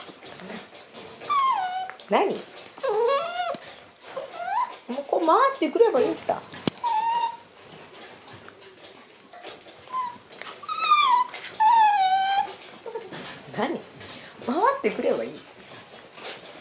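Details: Black male Shiba Inu puppy born on December 24, giving high, wavering whimpers and squeaky whines that rise and fall in short bursts, indoors, with some human speech mixed in.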